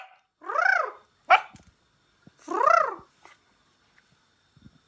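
A Pembroke Welsh Corgi gives two drawn-out, arching whines that rise and fall in pitch.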